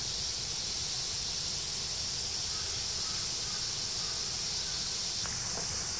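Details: Cicadas singing in woods beneath the Yoro Mountains on Japan's Tokai Nature Trail, a steady, dense high hiss that holds unbroken for the whole stretch, with a few faint clicks near the end.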